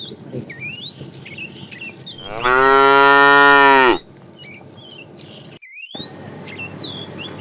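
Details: Tame cattle herded in the afternoon, a fat cow calling the female: a single loud, level moo lasting under two seconds, surrounded by busy bird chirping and whistling.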